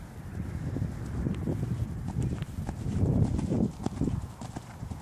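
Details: Hoofbeats of a Dutch Warmblood horse, a dense run of muffled clip-clop thuds, roughly steady, swelling louder around the middle before easing off, over a low background rumble.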